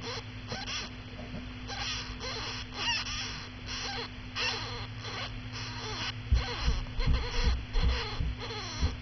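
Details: Pet hamster Daisy, a mother, with her 13-day-old pups, their fur grown and eyes almost open, now very vocal; rapid short squeaks repeat about two to three times a second over a steady electrical hum.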